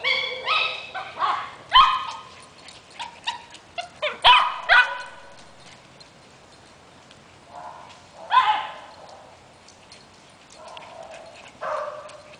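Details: Maltese dog chasing a Boston terrier around a yard, giving a string of high, excited yips and yodel-like warbling cries, some short and clipped, others drawn out and wavering. The calls come in irregular bursts over twelve seconds.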